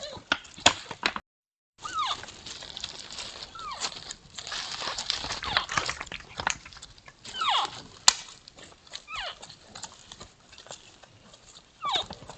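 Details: Two sambar sparring, giving odd descending squeaky calls that slide downward, repeated several times among sharp dry clicks and knocks, with a brief silent gap early on.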